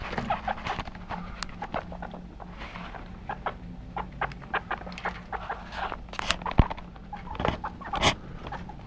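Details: Pet guinea pigs of the Teetee family, active: short clucking or chutting notes come in quick irregular bursts, with a sharp click midway and louder notes near the end, over a steady low hum.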